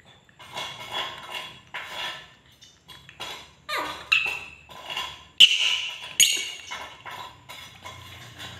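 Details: An angry pet monkey screeches in repeated harsh bursts roughly once a second, high and raspy, growing louder toward a couple of piercing shrieks near the end, with quiet pauses between.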